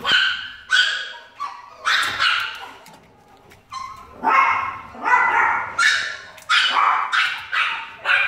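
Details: Very happy blind Chihuahua at an animal shelter barks repeatedly in sharp, high-pitched yaps, roughly two per second, with one brief quiet gap midway.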